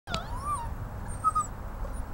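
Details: Great Dane puppy, a male, the family's first, at a backyard homestead: a brief thin whine that wavers up and falls away, then a second short high squeak, with low background rumble.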